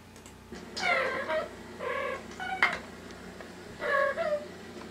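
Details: Indoor pet cat hearing other cats' voices from a speaker and reacting as if friends were inside it; four drawn-out, wavering meows with rich harmonics, two of them close together, separated by short pauses, against a low hum.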